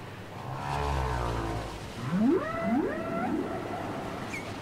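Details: Whale song from a cassette: a low groaning moan, then a run of three swooping upward sweeps climbing into whistle-like tones, set against faint underwater hiss.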